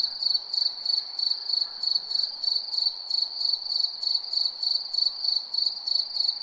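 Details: Cricket at night: steady high-pitched chirps pulsing about three times per second, with a continuous ringing tone underneath and a fainter higher band; no other sounds stand out.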